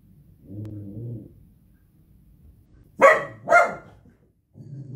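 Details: Playful miniature dachshund's low rumbling growl, followed by two sharp, loud barks about half a second apart, then more low growling.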